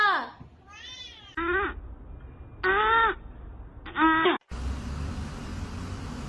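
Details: Pet cat repeats a series of short meows, five in about four seconds, some sliding upward and others arched. Each is harmonically rich with quiet room noise between calls, ending in a steady hiss.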